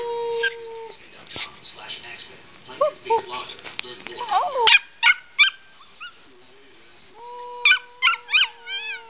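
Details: Six-month-old Australian Shepherd puppy, a medium-sized dog, learning to howl: long steady wavering howls at the start and end, broken by short yips, whines and a human voice joining in the middle.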